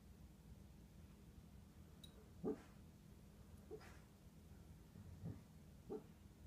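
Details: A pet dog barking softly in her sleep while dreaming during an afternoon nap; four faint, muffled woofs spaced irregularly over several seconds, low and quiet against steady indoor room noise.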